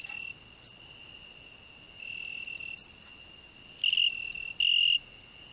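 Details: Continuous shrill cricket trill from a rose bush where a grasshopper also sings, with two short louder pulses near the end and scattered brief high rasping bursts above the steady tone.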